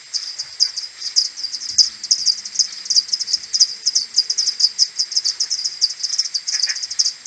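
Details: Many common pipistrelles from a maternity colony flying back to the roost at morning on 21 May, played ten times slower from an AudioMoth 1.1 recording: rapid, overlapping clicky chirps, steady and almost continuous, with pulses running close together.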